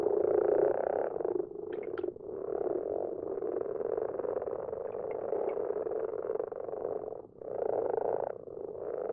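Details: Many common frogs in a garden pond after dark, giving low, purring croaks in an almost constant chorus, briefly dipping near two and seven seconds, with faint higher chirps early on.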